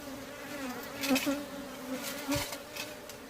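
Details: Worker honey bees at a beehive, described as aggressive, giving a continuous even droning hum that rises briefly in loudness twice as bees fly near, over faint background rustle.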